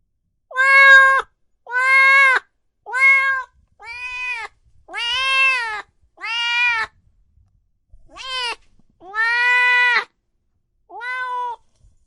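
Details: Cats and kittens meowing loudly: nine clear, harmonic meows, each about half a second to a second long with a slight rise and fall, coming at uneven intervals with short silences between them.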